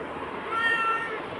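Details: Quiet, short meow from Bagira, a black pet cat conversing with its owner, half-buried in room noise while the owner tells it in Tamil to go eat its food instead of prawns.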